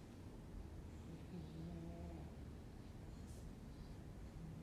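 An English Bulldog snores softly, a low droning rumble with a faint nasal hum.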